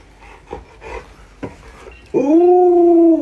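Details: Indoors, the Alaskan Malamute Luoluo tries to rouse an owner still in bed with the sun already high. After faint thumps, one steady, sustained howl-whine holds a level pitch for over a second, then tapers off.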